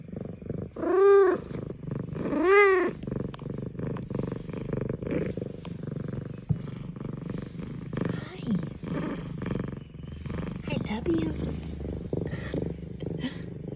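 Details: Zara, a female F2 Savannah cat, gives two loud arching meows then a steady low rumbling purr of contentment in the morning while a woman murmurs greetings.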